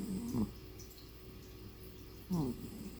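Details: A tired male cat resting at home, snoring like a person. Two short, low, grumbling snore breaths, about two seconds apart, are separated by near-silence indoors.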